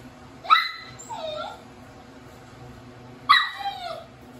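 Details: Eight-week-old Border Collie puppy trying to escape its cage, giving two short high whining yelps about three seconds apart, each with a brief falling tail, over a quiet room background.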